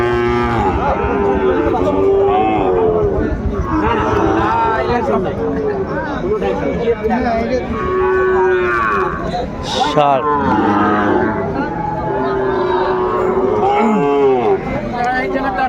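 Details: Young Sahiwal bulls for sale at a Cumilla cattle market in Bangladesh, February 2025, lowing repeatedly: several sustained moos, some rising and falling, scattered through the clip amid steady crowd chatter and bargaining voices.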